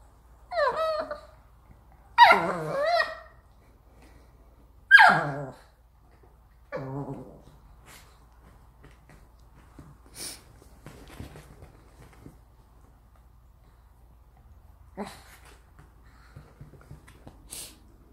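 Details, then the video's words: Chihuahua indoors, a neutered male named Ttori born in 2017, with a second Chihuahua named Ppang, giving several high whining, yelping calls in the first six seconds, then quieter scratching and small clicks. "치와와 VS 치와와"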